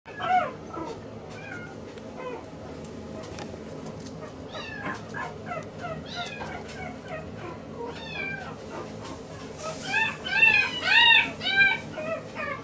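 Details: Maltese puppy, a male born 29 February 2016, at a pet shop in Yokosuka, Kanagawa, Japan: thin high squeaky whines, bending up and down in pitch, in a loose string, softer at first and then louder toward the end over a steady low hum.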